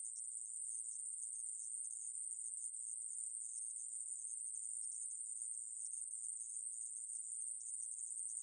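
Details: Conehead katydid 애매부리 buzzing in an even, high-pitched, uninterrupted stream, recorded in 2020 by Korea's National Institute of Biological Resources; no other animals or noise.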